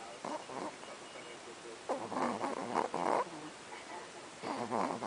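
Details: Little pet Chihuahuas asleep at night, snoring like a loud grown man: rough, rasping snore bursts, one short at the start, then a cluster of louder grating pulses midway and another burst near the end.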